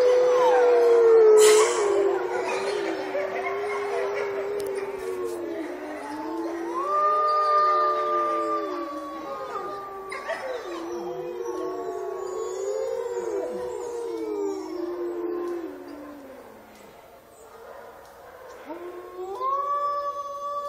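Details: Several gray wolves howl together in long, overlapping, wavering tones that rise and fall, recorded in Olomouc on 29 August 2013.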